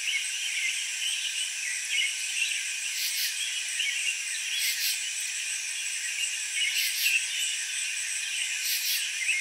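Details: Cricket chirping in a steady, unbroken high trill, with brighter pulsing bursts recurring roughly every two seconds over a constant shimmering background; no low sounds and no other animals heard.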